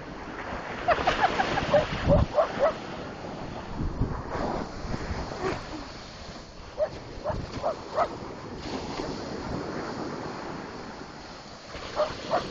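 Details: A dog running wild on a beach, barking at crashing ocean waves. Short, sharp barks come in bursts of several, then pause, then come again. Loud surf and wind roar underneath throughout.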